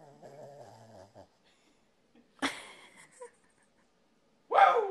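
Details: Corgi giving a wavering, tonal whine for about a second, then a short sharp bark-like burst after a pause and a louder, harsher yelp closing the clip.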